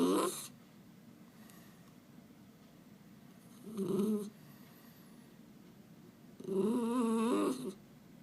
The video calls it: Miniature Schnauzer Making Cute Noises